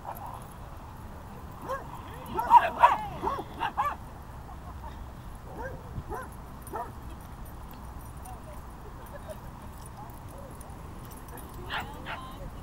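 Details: Basset Hound puppy at a dog park, playing with another dog: a burst of short high yips and barks around two to four seconds, then scattered quieter yelps and whimpers over low outdoor background noise.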